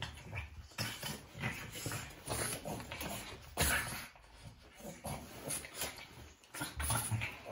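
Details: A pair of Boston Terriers scuffling with each other inside a room: throaty growls and huffing snorts come in short uneven bursts, broken by brief pauses and soft thumping from their movement.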